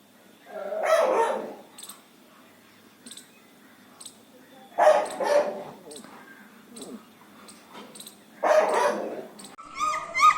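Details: Dogs among puppies offered for sale in India, 7 December 2020; three bursts of loud, rough barking spaced about four seconds apart, with quieter yips and room noise between them.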